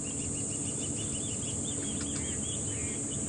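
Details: Cicadas hold a steady, high, shrill summer buzz without a break during a morning safari drive at Djuma Game Reserve, South Africa, 30 November 2015; small birds chirp quick repeated notes over it, with engine and wind rumble beneath.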